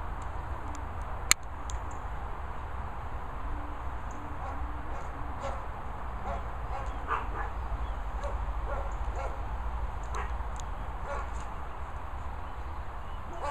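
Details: German Shepherd named Lucy Looney, playing with a boomer ball in Worcestershire countryside, gives scattered short barks and yips among steady low wind rumble.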